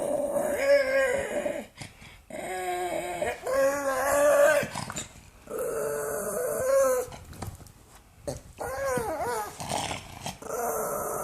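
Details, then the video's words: Irritated pug producing a string of whining, warbling growls over about eleven seconds, each burst lasting one to two seconds with short pauses between, some rising and falling in pitch. "Pug noises"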